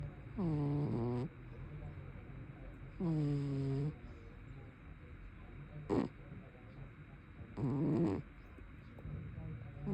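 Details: Sleeping brown tabby cat giving big, loud snores: four voiced, harmonic snorts, each under a second, recurring about every two and a half seconds with quiet breathing between.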